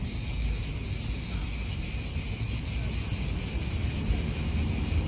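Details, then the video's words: High, continuous cicada buzz with rapid rhythmic pulsing fills an Italian park, with only a light low background of wind and traffic. "Cicadas wind real atmosphere in an Italian park"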